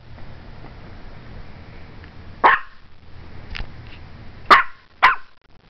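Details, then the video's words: Strudel, a Morkie, barking at the camera: one sharp bark, a fainter yip, then two close barks near the end over low background hum. "Strudel (Morkie) Barking Like Crazy at my Camera"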